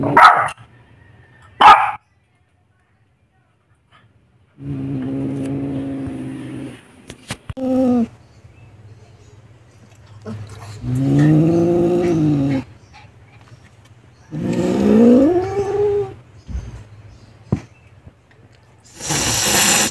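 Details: Meo, a very angry Siamese cat, hissing at a dog: sharp breathy hiss bursts at the start and end, with drawn-out, low, wavering growling yowls rising and falling between them, and quiet gaps.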